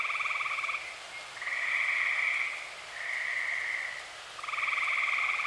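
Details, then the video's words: Tree frogs, dozens of them, trilling at night in early summer in Eastern Pennsylvania: buzzy pulsed calls about a second long follow one another closely, with brief dips in loudness between callers. "Dozens of tree frogs sing"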